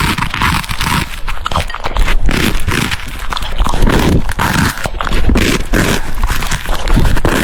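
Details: French Bulldog eating cucumbers, filmed close up for a dog mukbang; dense, wet crunching and scraping bites packed tightly together with heavy low rumble, a steady run of clicks and crunches with no pauses.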